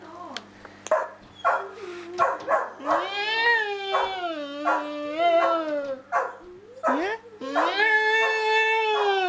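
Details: Pet dog Samson in a long talk with Josie: a woman's repeated questions alternate with the dog's wavering, rising and falling howl-like moans, the dog's voice growing longer and steadier toward the end.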